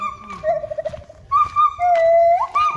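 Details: Gibbon singing at a monkey temple in Thailand: loud, pure whistled hoots held steady, jumping between a lower and a higher note, with a quick upward slide near the end; faint voices and background rustle underneath.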